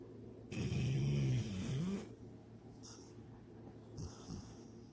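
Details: Sydney, a pet dog, snores while dreaming of chasing a rabbit and swimming in a lake: one long, low, rasping snore of about a second and a half, then softer breaths with faint sniffs.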